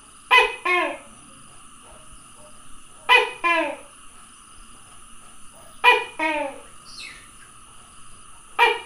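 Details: Calling tokay gecko, recorded 27 May 2020, repeating a loud two-syllable croaking call about every three seconds. Each is a sharp bark followed by a falling, drawn-out second note. A faint constant high hiss sits underneath.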